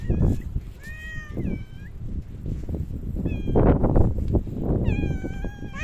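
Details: Park cats checked on 3 August 2023 once Typhoon No. 6 had passed; about five short, clear meows in quick succession, some bending upward at the end, over heavy low wind rumble and rustling.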